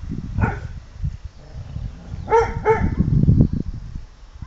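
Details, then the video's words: An English Pointer named Lota gives a single bark, then two more barks close together, over loud low rumbling and thumping background noise. "english pointer - Lota sargauja"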